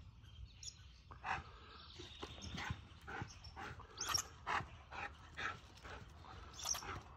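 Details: Siberian Husky named Eddie chasing a red squirrel round and round a tree in Ontario; a string of sharp, high yelps and whimpering cries rises and falls unevenly over a low outdoor rumble.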